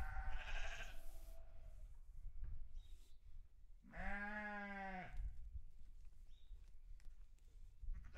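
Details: Sheep on a farm giving bleats: a faint harmonic cry at the start, then a loud, steady, wavering bleat lasting about a second, over low rumbling background noise.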